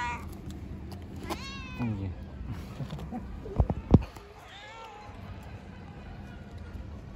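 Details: A hungry stray cat asks for food with one strained, descending meow near the start, followed later by a fainter meow, amid low hum, two loud knocks and soft voices.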